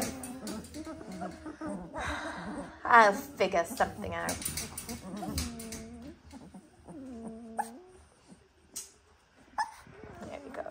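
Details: Eighteen-day-old Dalmatian puppies giving soft, wavering whimpers and squeaky cries, some tones dipping then rising, scattered over about ten seconds, with human voices talking close by in a small indoor room.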